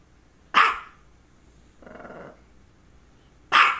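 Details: Dog having focal seizures before and after this barking bout; two loud, abrupt barks about three seconds apart with a faint, low murmur in between against a quiet background.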